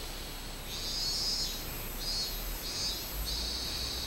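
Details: Minmin cicada calling in July 2016: a series of high, droning buzzy phrases, each swelling and cutting off, repeated roughly every second with short gaps between.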